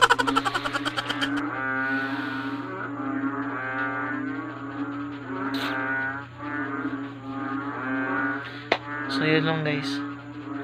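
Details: Music with a sustained voice-like melody dominates over a steady low hum, with brief clicks, and no frog or other animal calls can be picked out.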